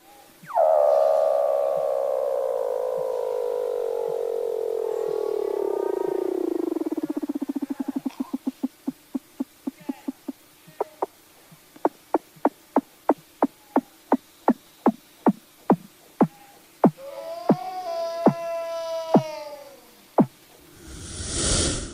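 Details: Weddell seal. A Weddell seal gives an eerie underwater trill, a long whistle gliding steadily downward before breaking into quick, regular clicks. Rising, warbled chirps follow near the end, and a burst of noise closes it.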